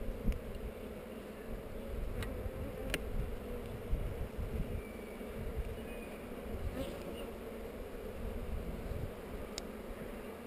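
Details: Honey bees on heather during a hive inspection filmed with a GoPro: a steady low droning hum from many bees fills the clip, with a few sharp handling clicks.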